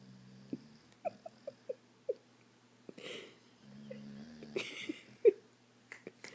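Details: Awake female dog Wendy, eyes open, snoring indoors: a row of quick clicking taps, a burst of noise, then one steady low buzzing snore lasting about half a second, followed by further sharp clicks.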